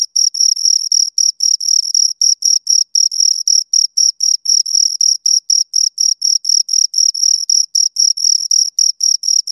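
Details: Close chirping of two crickets: a continuous chain of shrill, buzzy pulses, fast and fairly regular, occasionally merging into longer bursts, against total quiet.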